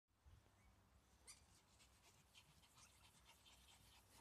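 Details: A Pomeranian dog panting, with soft, rapid breathy puffs repeating through the clip over a low background rumble.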